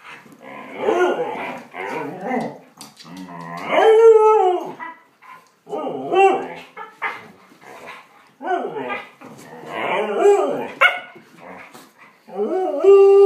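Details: Dogs scrapping: repeated growling outbursts with drawn-out, wailing cries and snarls, rising and falling in loud bouts, recorded indoors.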